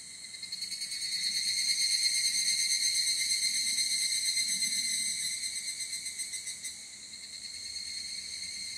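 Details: Field recording of evening cicadas (higurashi) in Japan, ZOOM F8n Pro recorder with SCHOEPS microphones: loud, piercing, high metallic trilling swelling and ebbing in volume, pulsing rapidly, with a brief dip near the seventh second.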